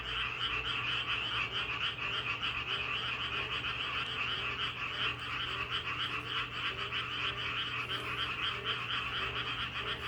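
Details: Chorus of many frogs croaking in nature, heard as a continuous, throbbing mass of fast, rattling trills that overlap without gaps, swelling slightly now and then, with softer, lower croaks mixed in beneath and a steady faint hum.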